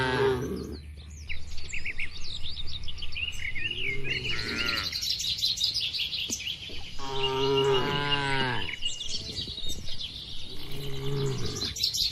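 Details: Many cattle kept together in a farm enclosure give several moos of varying length, spaced a few seconds apart, under a constant chorus of high twittering birds.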